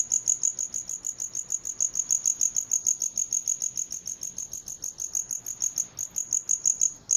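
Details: High ringing cricket chirps repeated rhythmically, roughly 200 pulses a minute, each a short bright burst, with a brief pause near the end before resuming.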